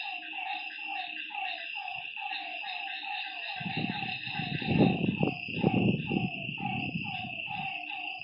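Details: Frogs at a lake after dark give quick repeated croaks about once a second each, layered over a high steady drone, while a loud low rushing noise swells midway.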